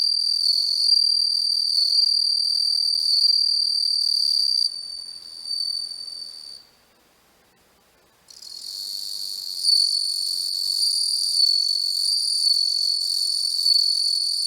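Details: Bell cricket (Homoeogryllus japonicus) recorded close up with a macro lens: a sustained high, bell-like ringing trill that falters, drops into silence for about two seconds, then resumes at full strength.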